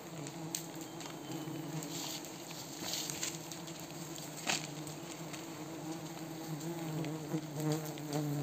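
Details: Mountain honey bees droning continuously during a cliff honey harvest in Wui village, a low steady hum with rich overtones under scattered pattering and rustling handling noises throughout.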